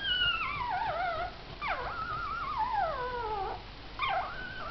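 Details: Missy's four puppies with their mother, heard as loud, drawn-out whines that slide downward in long wavering arcs, three or four cries in quick succession with short pauses, the room otherwise quiet.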